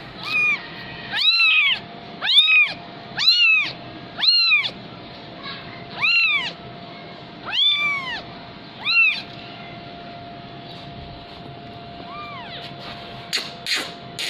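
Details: Persian kitten, fifteen days old, mewing: clear, high, arched mews, rising then falling, about one per second in a run of eight, then a faint one and a few sharp clicks near the end; steady faint hum underneath.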